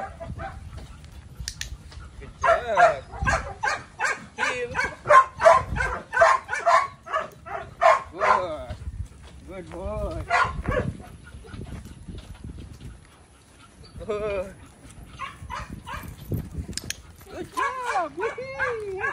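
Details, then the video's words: Belgian Malinois named Psycho, barking in a fast run of sharp yaps for several seconds, then quieter scattered barks and rising-falling whines near the end, with a person's voice in between. "My Belgian Malinois Psycho"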